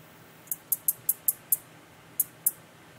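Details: A male Black-legged meadow katydid (Orchelimum nigripes) gives its calling song, a series of sharp, very high dry ticks, then a short pause and two more, while a female oviposits into a wild grapevine stem.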